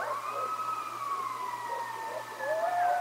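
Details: Coyotes howling by the Decorah Eagles North Nest on a live nature camera: a long, sliding howl drifting slowly downward, joined near the end by a second voice rising into a higher sustained note.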